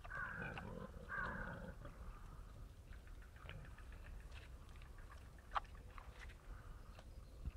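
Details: Wild boar feeding, giving two loud, harsh squealing calls with stacked overtones in the first two seconds, then quieter scattered snuffles, clicks and crunching sounds over a low rumbling background.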